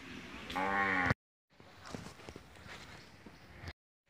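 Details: Female Peranakan Ongole cow giving one strong, rich, harmonic moo lasting about half a second, which ends abruptly and is followed by quiet rustling background.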